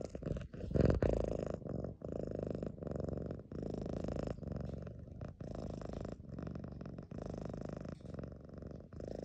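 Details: A lilac modern lynx Balinese cat purrs steadily in a deep, low rumble with a fast, even pulse several times a second, swelling and easing with each breath and broken by brief pauses.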